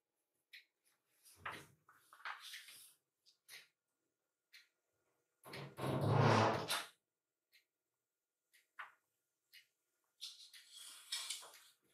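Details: Quiet indoor room with sliding door and drawer-like knocks, rustling and a louder thump around the middle, no animal calls.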